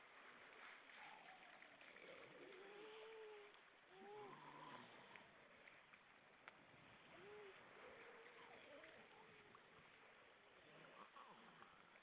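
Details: Grey seals, many above the water at Vilsandi, Estonia, 25 September 2012 at 19:33: several short arched, wailing moans rise and fall at mid pitch, some in overlapping pairs, over a steady wash of surf and wind.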